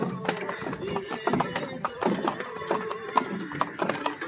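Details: White horse pulling a Shahi Buggy for tourists at Safari Park, Lahore, Pakistan: sharp hoof clip-clops struck roughly every quarter second, under steady chatter of voices and a faint droning tone.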